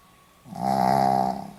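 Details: A sleeping Pomeranian recorded on 4 November 2015 gives a single drawn-out snore: a buzzy, harmonic breath that starts abruptly, holds steady for about a second, then fades slightly, with a quiet room before it.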